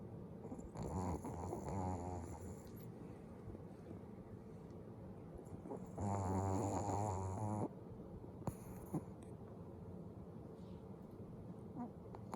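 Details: Sleeping dog, eyes left open, snores loudly indoors; two long droning rattly snores, the first near the start and a stronger one around six seconds, separated by soft breathing and faint background hiss.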